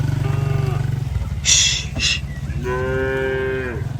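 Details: A tame village cow, part of a herd crossing a wooden bridge on a rice-field path toward grazing, gives one long level moo near the end, after a pulsing low engine-like drone and a short hiss.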